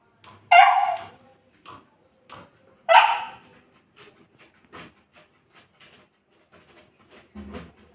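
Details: Saint Bernard dog locked in a room alone while its people went away for a while, letting out two loud yelping barks about two seconds apart, followed by softer scattered whimpers, clicks and shuffling sounds.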